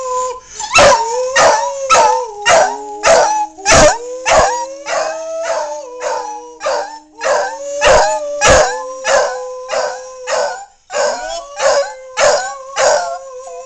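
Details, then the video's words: Bronson the dog howls along with D-Xristo in 2008, sustaining wavering tones over a steady stream of sharp rhythmic beats. A lower held note drifts beneath for several seconds before the pitch climbs again. "SINGING DOG"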